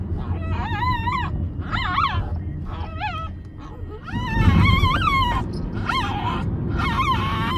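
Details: A puppy known for its odd voice utters a run of about eight warbling, wobbling cries, each under a second, some rising then falling, over continuous low-pitched background noise that swells midway.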